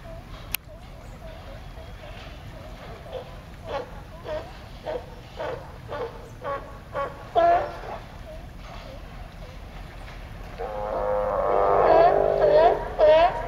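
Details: A raft of California sea lions, apparently all males, gives harsh, rapidly repeated barks that overlap into a raucous chorus.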